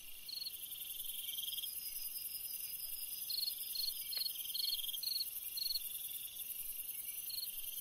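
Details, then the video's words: Cricket on a summer night giving scattered short pulsed chirps, irregular at first then closer together, over a loud continuous high-pitched insect chorus. "Chant d'un grillon dans une nuit d'été / Singing a cricket in a summer night"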